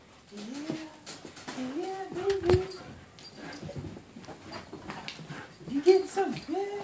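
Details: Sky, an eight-month-old German Shepherd/Siberian Husky puppy, greets her owner back from military deployment indoors with excited, rising and falling whines and whimpers, mixed with overlapping human voices and happy talk in a small room.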